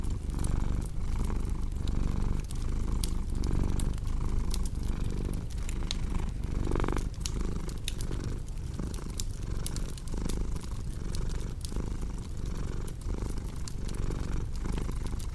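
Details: Cat's low, continuous purr rolls on for the whole stretch, rising and falling with breaths roughly every one and a half seconds, mixed with frequent crisp crackles and pops from a cozy fireplace.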